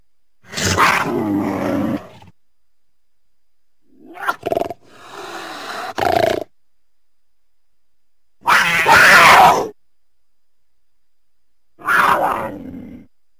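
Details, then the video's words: Cougar making harsh, noisy hisses and snarls in short separate bursts, some clipped and explosive, with silent pauses of one to three seconds between them. "Mountain Lion (Cougar) Sounds"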